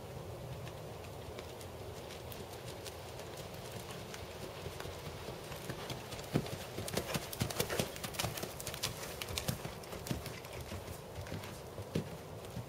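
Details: Dressage schooling of Tobias, a black 7-year-old 16.2-hand Percheron/Thoroughbred gelding, with clip-clop hoofbeats about 95 per minute in an uneven rhythm, growing louder and crisper in the second half over a constant low background hum.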